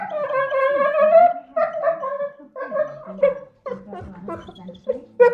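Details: Staffordshire Bull Terrier begging for leftovers left on the dinner table: strange gargling, whining vocal noises in broken bursts, tonal moans that rise and fall, separated by short pauses.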